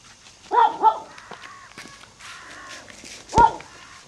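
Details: Pomeranian (Spitz) puppies give two sharp, close yips, followed by softer background sounds and one more abrupt yip near the end.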